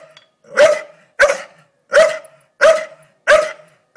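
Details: Staffordshire Bull Terrier Doza barks at a blue-tongued lizard, an uninvited guest. Five loud, hoarse barks come in a steady rhythm about two-thirds of a second apart, each with a quick falling tail.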